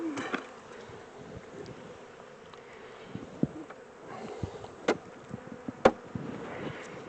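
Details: A honey bee swarm hums steadily as it is shifted from its temporary small box into a larger home, the drone punctuated by several loud knocks and bumps of hive equipment.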